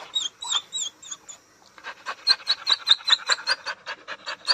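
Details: Dog in unfamiliar surroundings whining: opens with a few clear, high, arched whine notes. Then come quick breathy pulses, each tipped with a short squeaky whimper, repeating about two and a half times per second.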